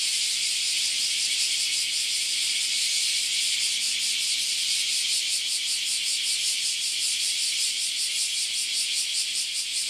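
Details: Loud cicadas swarming around a farm house in Japan produce an unbroken, intense high shrill whirring, with a faint rapid pulsing texture throughout nearly ten seconds.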